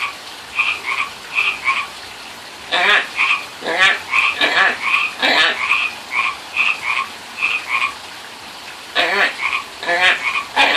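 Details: Pacific tree frogs by a friend's pond, where someone calls to them: a string of short, clear paired notes broken by several loud, raspy, pulsed croaks.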